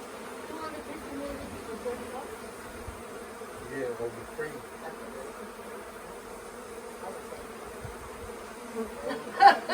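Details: Honey bee swarm at the Tamarind Tree Hotel, lingering on the property for a few days late in the year while being coaxed into a nuc box. A dense, steady humming drone fills the clip, with a sharp knock near the end.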